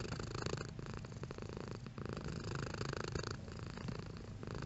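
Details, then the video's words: Pet cat purr, a low, rapidly pulsing rumble that swells and eases with each breath, with short dips between inhale and exhale phases. "Cat Purring Sound Effect"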